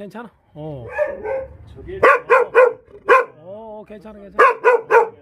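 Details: Jindo dog met on Jindo, Korea, giving a run of short, sharp barks in bursts, mixed with drawn-out whining, rising and falling howl-like notes between the barks.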